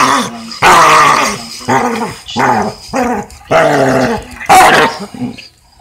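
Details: Weimaraner vocalizing during play fighting: separate loud, rough growling moans, some sliding downward, with short gaps and no steady rhythm.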